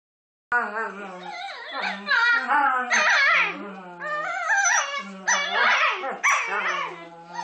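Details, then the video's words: Two pet dogs making funny noises at each other while playing; drawn-out whining, yodel-like howls with wavering pitch, rising and falling in long overlapping phrases. "making funny noises at each other"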